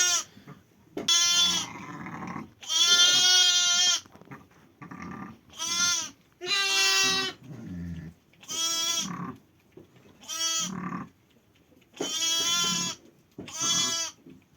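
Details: Sheep in a pen just after a ewe lambed on 5 January, bleating over and over: nine or ten loud, quavering, nasal bleats, some short and some drawn out, separated by brief pauses with faint rustling.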